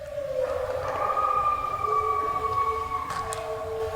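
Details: Captive wolves, including American red wolves and Mexican wolves, at the Endangered Wolf Center in Eureka, howl together at night in long, smooth, overlapping, gently sliding tones, answering human call-and-response howls on a hillside on 20 January.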